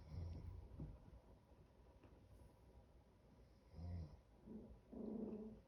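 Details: Two 10-week-old Chihuahua puppies fighting indoors; low, rough growls come in short bursts, with a louder burst at the start, another near four seconds and a longer, slightly higher growl at the end, in a quiet small room.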